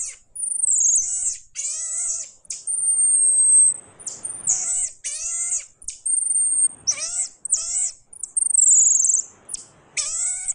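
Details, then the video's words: Pygmy marmoset calling repeatedly, mixing sustained high-pitched whistled notes with short descending squeals in irregular bursts over about ten seconds; faint rustling between calls. "The voice of a pygmy monkey"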